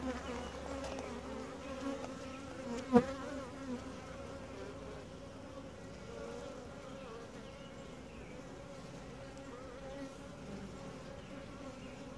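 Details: Honey bee colony during a typical hive inspection, described as quiet, gentle and calm; a steady low droning hum holds throughout, with one sharp click near three seconds.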